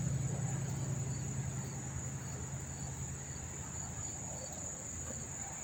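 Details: Crickets heard but not seen at a New Jersey train station by Monmouth Park, September 4, 2023: an even, ceaseless high-pitched ringing trill over a strong low hum that fades slightly partway through.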